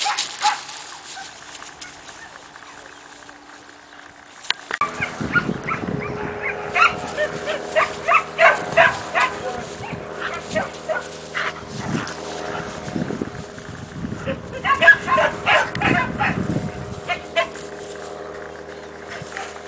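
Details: Two 4-month-old Siberian Husky puppies, Cassia and Disco, at play in their kennel: after a quiet start, a run of short, sharp yips and barks comes in irregular bursts, with a low steady hum underneath.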